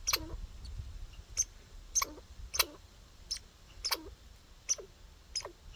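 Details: A backyard squirrel outdoors gives short, sharp chirps, repeated unevenly about every half second like hiccups.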